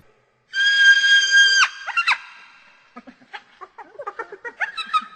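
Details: Hyena laughing, a call the pack uses to build social bonds: a long, flat, steady tone, then two sharp rising yelps and a quick, uneven run of short, high giggling notes.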